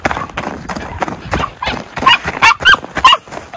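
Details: Miniature Schnauzer brothers Lucky and Levi romp through deep snow tunnel trails in Aroostook County, Maine, on January 22, 2023; snow crunching and footfalls fill the first half, then about four short, high yipping barks ring out.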